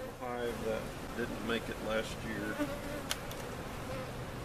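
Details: Honey bees removed from a giant cutout hive, with their comb, being placed in their permanent location at Jerome Bee Farm in Central Oklahoma; a soft, droning hum with wavering tones that drift up and down, plus a few faint clicks.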